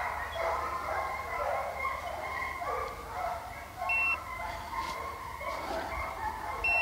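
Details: Pack of hounds on a deer hunt in St Helena, South Carolina, baying continuously at a distance: many overlapping drawn-out voices in a steady chorus over background hiss and faint beeps.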